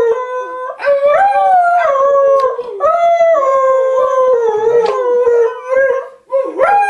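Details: Pet Airedale Terrier howling in song-like fashion: long, wavering, harmonic notes rising and falling, broken into several drawn-out phrases with short gaps and a new howl starting at the end.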